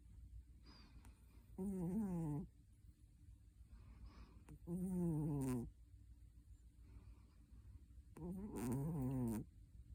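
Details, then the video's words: Sleeping cat snoring: three loud, buzzy, harmonic breaths about three seconds apart, each a low rough rasp that wavers up and down, with quiet pauses between them. "Snoring cat"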